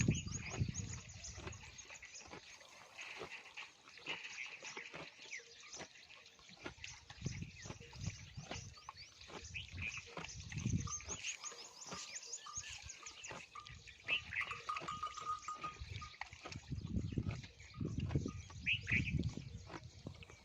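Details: Camel in the Thar, recorded while chewing: deep rumbling grunts swell in bursts near the start and again around seven, eleven and eighteen seconds, over constant wet chewing clicks and a steady hiss of background noise.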